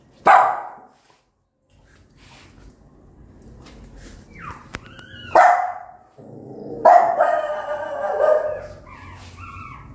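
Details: Angry mother dog barking at her newborn puppies: a sharp bark at the start, a rising whine-like yelp, another bark, then a long harsh bark with tonal overtones, faint background rumble throughout.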